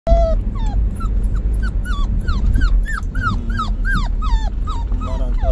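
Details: Pet puppy whimpering on the day it goes to a new owner, upset at being separated from its father: a rapid series of high, arched whines, about fifteen in five seconds, rising and falling over a low background rumble.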